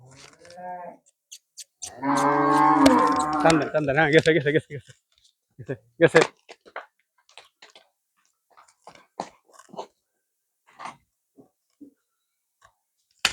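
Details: A Friesian cow on a farm in Bangladesh, sold from the farm that day, gives one loud, drawn-out, deep moo with a wavering tone lasting about three seconds. Men's voices and scattered clicks and knocks follow.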